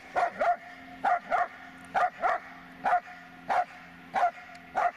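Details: Dobermann Magmar Von Der Burgstätte giving paired barks, two quick sharp woofs then a short pause, the pattern repeating steadily about once a second throughout, with a low hum underneath.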